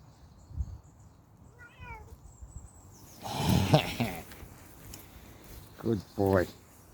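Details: Bengal kitten outdoors on a walk gives a short, high, wavering meow, then two brief mews near the end; a person's voice and footsteps are heard, with faint bird whistles in the background.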